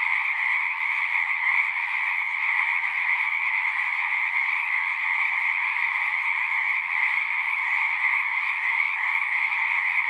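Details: Numerous frogs sing at a horse-pasture pond, taken with a Zoom recorder: a sustained, dense chorus of high overlapping trills holding an even level, with a faint low hum in the background.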